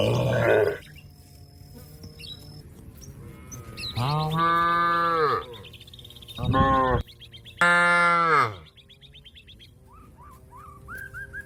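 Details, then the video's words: Calling to companions to return to the pen, cattle give four rich, rising-and-falling moos of one to one and a half seconds each, separated by pauses with quiet bird chirps. "suara sapi memanggil kawan untuk pulang kekandang nya"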